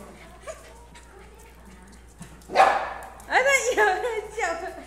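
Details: A Maltese dog, not in the mood to play, barks furiously at a corgi that wants to play; after quiet Korean speech, a burst of sharp, harmonic barks and yips in quick succession.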